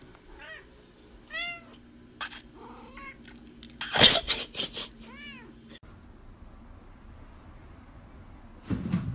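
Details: Cat giving several short arched meows in the first half, with a person's voice and household noises between them.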